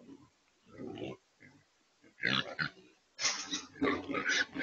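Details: Trapped wild pigs, also called feral hogs, in a remote control corral trap at a Texas site, being loaded for transport: low grunts, then harsh broadband squeals and noisy bursts from several animals.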